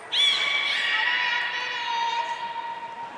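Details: Beluga at Port of Nagoya Public Aquarium, one of Hodoi, Taanya and Mirai, during pool moving and training on 14 March 2021: a loud buzzy harmonic call that starts high, then holds a steady tone for three seconds in an echoing hall.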